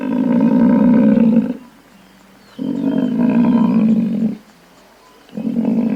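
Deep, drawn-out bellows from a buffalo come in three bouts, each steady and rich in harmonics for one to two seconds. Brief quieter gaps separate the calls, and no other sounds intrude.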